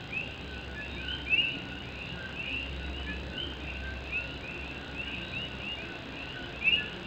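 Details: Rainy night in Morovis, Puerto Rico, with Puerto Rican coqui frogs in full chorus; dense short upslurred whistles from many frogs, two louder nearby calls, and rain rattling on a tin roof throughout.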